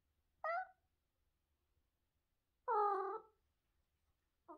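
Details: Talkative pet cat indoors giving two clear, harmonic meows, the second longer with a slight rise and fall, then the start of a third, with quiet background between.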